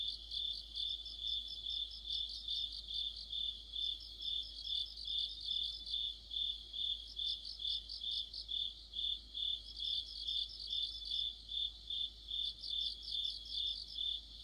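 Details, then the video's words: Insect chorus of crickets in the heart of autumn under a streetlight: steady high shrill tone with bursts of fast pulsed chirps coming and going in waves, about two per second. "가을의 한 복판 곤충들의 합창"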